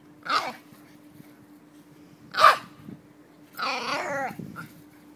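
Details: Jack Russell Terrier going nuts at a squirrel it has spotted, giving two sharp yapping barks a couple of seconds apart, then a longer strained whining, yowling cry; a faint steady hum underneath.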